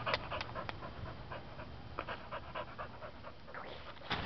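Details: Stray female Welsh Springer Spaniel awaiting adoption, recorded 18 August 2012, panting in rapid airy puffs with a few sharper clicks, as a man's voice asks her questions.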